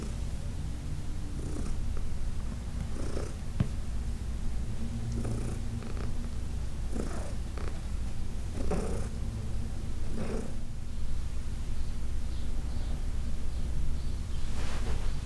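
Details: Heidi, a senior domestic cat over 14 years old, adopted from the Humane Society of New York City, purring during a massage in June 2021: a steady low rumble with breathy pulses recurring roughly every two seconds, indoors.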